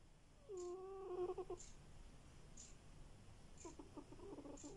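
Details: Sleeping domestic cat snoring indoors: two rough, rattling breaths with a pulsed, buzzy texture, each about a second long, the second quieter; a faint, steady high ticking sounds at regular intervals throughout.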